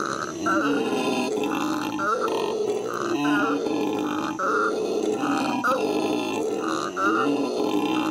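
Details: Captive howler monkeys howling at the L.A. Zoo in May 2014: a deep, growling, rasping roar that runs without pause, broken into rhythmic throaty pulses roughly every half second.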